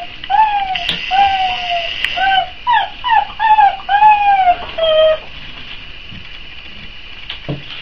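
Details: A litter of four-week-old Boxer puppies awaiting feeding time gives a run of arched, falling whimpers, about eight cries in five seconds, then quieter shuffling with a steady hiss behind.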